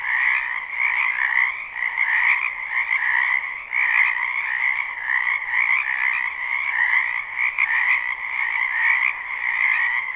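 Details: A wetland full of frogs in spring, live recording. Overlapping croaks make a steady, rattling drone, with louder pulses about once a second and scattered faint clicks.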